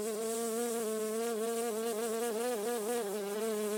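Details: Honey bee buzzing, described as a soft, steady hum in a garden. A continuous droning tone with rich overtones holds level, its pitch wavering slightly in the second half.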